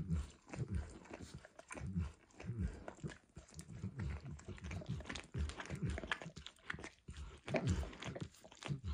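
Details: Max the dog enthusiastically licking food from an orange textured lick mat, recorded indoors up close; steady run of moist slurping and tongue clicks, bunched into rhythmic low bursts over nine seconds.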